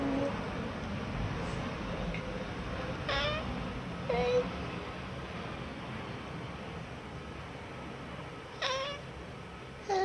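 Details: A chatty American Shorthair × Munchkin mix cat, indoors, known for its barely voiced 'silent meows'. The cat gives several brief, faint, high chirping meows at scattered intervals over a steady background hiss.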